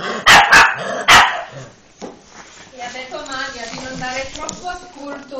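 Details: Female French Bulldog puppy, two months old, lets out three quick high barks in the first second, followed by a woman speaking in Italian.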